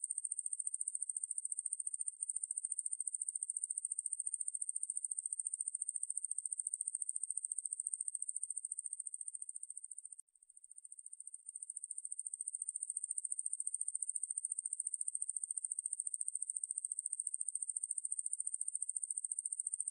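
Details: Conehead katydid Ruspolia lineosa, recorded by the National Institute of Biological Resources in 2020, buzzes continuously in a thin, shrill, fast-pulsed trill. The trill breaks off briefly around the middle, then resumes just as steadily. The background is otherwise silent.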